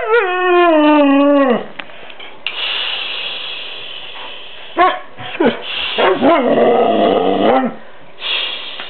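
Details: An 11-month-old male white Siberian Husky, vocal but rarely barking, 'talks' back on command with a drawn-out, falling, harmonic howl-whine, then more yodeling bursts.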